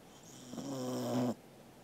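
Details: Sleeping Corgi Angela gives a single rasping snore of under a second, a buzzy tone with a slight rise toward the end, against a quiet indoor background; recorded 13 August 2021.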